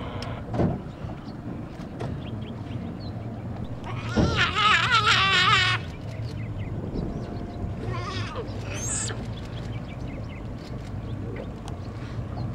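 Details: A giant otter (Pteronura brasiliensis) from a family met on a boat trip in Brazil gives a loud, wavering, bleat-like call over a low boat-engine hum.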